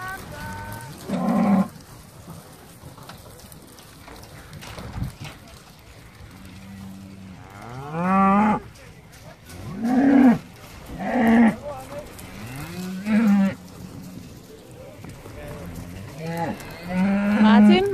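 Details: Hereford cows and calves, eleven animals shipped by boat from Tåsinge, landing on the Danish island of Skarø on 13 April 2016 to graze all summer; repeated deep drawn-out moos from several animals, with people talking and calling in between.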